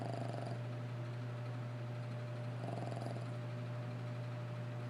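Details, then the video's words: Dog asleep, giving slow rhythmic snores: two brief rough, breathy pulses a few seconds apart, nearly buried under a steady low droning hum. "Lacey Snores"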